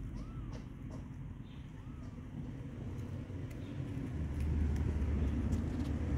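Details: Stray kitten in a backyard during its first human contact: two brief arched mews in the first two seconds, rising and falling, then only a constant low vehicle rumble that grows louder.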